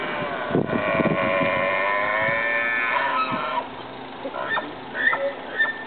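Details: Wild elk in nature near Highway 34, Rocky Mountains park, Colorado, USA; a drawn-out, tonal, harmonic call lasting about three seconds, then a few short, higher squeaky notes against steady background noise.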